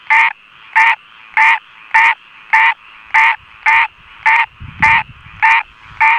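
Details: A frog sings in the rain: short rasping croaks repeated at a steady pace, about one every 0.6 seconds, eleven in all, strong and clear above a thin background chorus with a brief low rumble near the middle.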